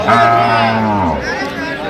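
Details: Improved-breed dairy cow at Ambari Haat cattle market, Dinajpur, among calves on 16/11/25: a long, low, harmonic moo slides slowly downward over about a second, with market talk around it.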